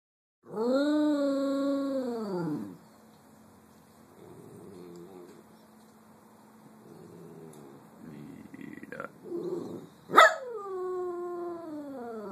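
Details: Nina Simone, a pet Cocker Spaniel and Poodle mix, howling in song. A loud, rich, harmonic howl arches up and slides down for about two seconds. After a quiet stretch of soft murmuring comes a sharp yelp and a second howl falling in pitch.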